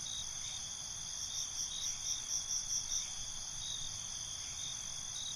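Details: Crickets at night in a relaxing night ambience, a dense high chirping chorus with steady bands and a faint pulsing of louder chirps in the middle, low background hiss beneath.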